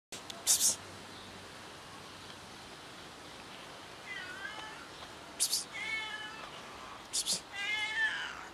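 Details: A cat rolling on a parked car makes odd, wavering meows, three harmonic calls near the end spaced about a second and a half apart, with sharp broadband clicks or knocks between them over steady background hiss.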